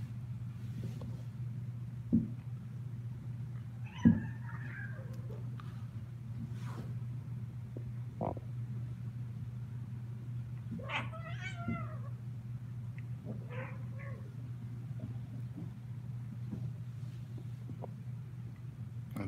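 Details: Kittens from the Australia kittens and attic crew, 16 December 2018: a few soft, arching meows, one near the start and a pair later on, rising then falling, over a steady low electrical hum with scattered faint clicks.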